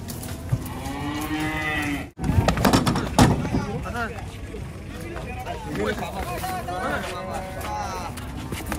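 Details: Agitated cattle being unloaded from a truck, raging as they come down: a long, loud, harmonic moo in the opening two seconds, followed by thumps, clatter and men calling out and talking in Javanese.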